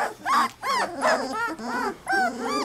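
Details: Three-week-old Labrador Retriever puppies whimper and yip in a litter, several high arched whining cries overlapping in quick succession, bursts roughly every half second with brief gaps between them.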